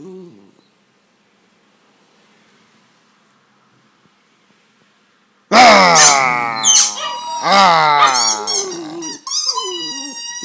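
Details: Border Terrier named Austin, a pet, playing with its owner: after about five quiet seconds, loud harsh growls and snarls burst out in rough, wavering tones, with short pauses, while a man gives commands such as "Leave it" and "Good boy".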